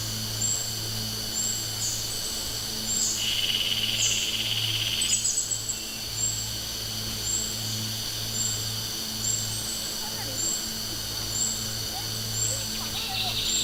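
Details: A summer cicada chorus drones steadily at a high pitch, with short, sharp ticks repeating about once a second.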